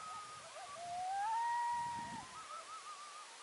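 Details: Coyotes calling at sunset on November 2, 2022: a drawn-out howl rising and holding steady, with a higher wavering, yipping voice around it, over a faint low rumble.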